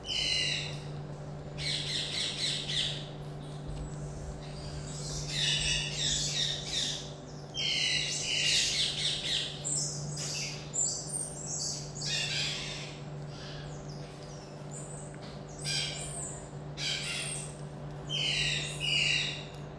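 Common marmosets give bursts of shrill, high-pitched squeaky chatter, over and over, above a steady low hum.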